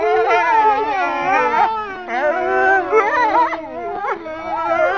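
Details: Four male Swedish wolves in captivity at Kolmården Zoo, Sweden, January 2007, during a wolf petting event; several wolves howl together in overlapping, wavering tones that rise and fall, with brief pauses between bursts.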